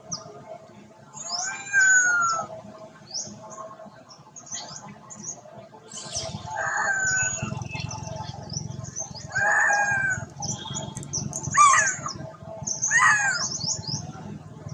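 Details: Poorly mother monkey named Duchess crying loudly while looking for her daughter; a run of harmonic, wavering cries descending in pitch recurs every two to three seconds, over steady high chirping from small birds and a low background rumble.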